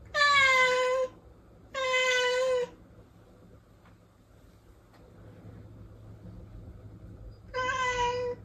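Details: Protected house cat calling indoors with three loud, sustained meows, the first two close together and the third after a long quiet pause, over a low steady hum.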